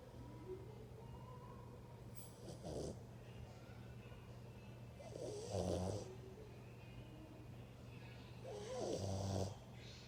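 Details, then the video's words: Snoring dog producing three grating snores spaced about three to four seconds apart, the later ones louder, with a faint rising tone early on and a steady background hum. "Dog roncando"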